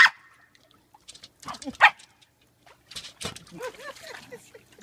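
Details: Corgi giving short, irregular barks. Some bursts are loud and abrupt, mixed with softer whining, tonal sounds. Quiet gaps separate the outbursts.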